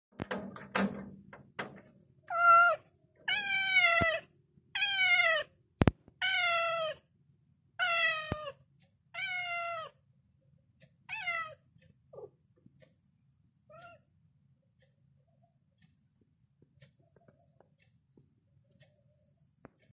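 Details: Complaining female cat wanting her owner to wake up, feed her and play, giving a run of about eight drawn-out, wavering meows roughly every second. The last ones grow shorter and fainter, and a sharp thump falls midway in a quiet room.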